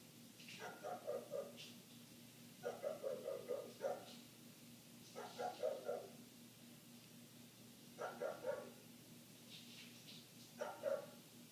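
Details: Neighbour's dog barking nonstop for minutes, heard from inside a house with the windows closed: muffled bursts of three or four quick barks repeated every two to three seconds, over a steady low indoor hum.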